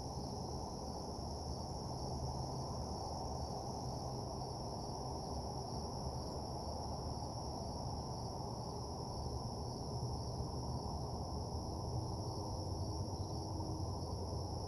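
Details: Night crickets around a deserted parking lot keep up an even, high-pitched ringing chorus with no pauses, layered above a heavy low droning hum.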